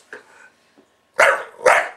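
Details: Buster, a pet bulldog, barks as soon as the camera is switched on: a faint short sound, then two loud, harsh barks in quick succession about half a second apart.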